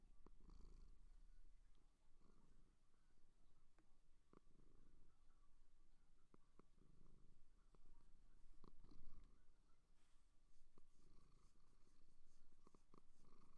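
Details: Low, breathy purring from a seal, coming in rhythmic one-second pulses about every two seconds, with occasional clicks and a faint higher hiss near the end.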